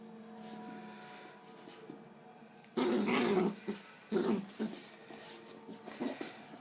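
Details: A Bull Terrier puppy in a new harness lets out a few short, gravelly growls and grumbles, each under a second, after a faint steady hum; a person's voice follows briefly.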